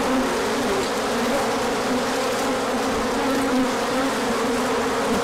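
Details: A large orientation flight of bees at the hive on a sunny day after cold weather, March 2024, heard as a constant, even buzzing roar of countless wings with a low steady hum underneath.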